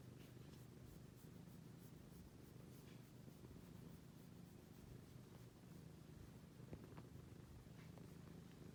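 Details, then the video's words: Cat purring quietly, a soft, continuous low rumble with a steady pulsing texture, faint against a hushed indoor background. "the cat making a purr sound"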